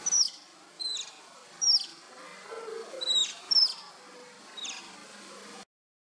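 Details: Playing pups of the Asian small-clawed otter whistle in quick bright chirps, some with falling glides, about six calls packed into five seconds over low background hiss, then silence at the end.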